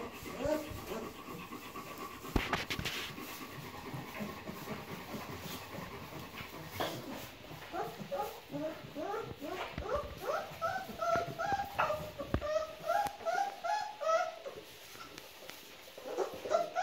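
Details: Three-week-old Bernese Mountain Dog puppies give short, squeaky whimpers in quick irregular series, rising and falling, with faint rustling and breathy sounds throughout.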